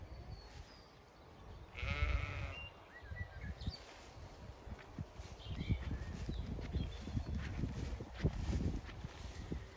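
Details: On a hot May day in County Kilkenny, Ireland, Zwartbles sheep graze or shelter in shade among growing lambs; a single quavering bleat rises near the start, followed by scattered bird twitters and steady low munching and rustling.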